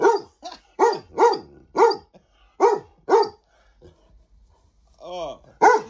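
A Weimaraner gives a rapid string of high, arching barks close up, with a person speaking briefly.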